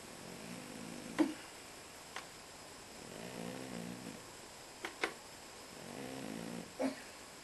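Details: Pet cat asleep indoors, snoring in slow, even cycles: three soft, rumbling breaths roughly every two and a half seconds, with a few sharp clicks and taps between them in a quiet room.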